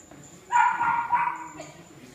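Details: A three-month-old puppy, running, gives a short high yipping whine lasting under a second, with harmonic, slightly wavering tones, then quiet background with a faint steady high hiss.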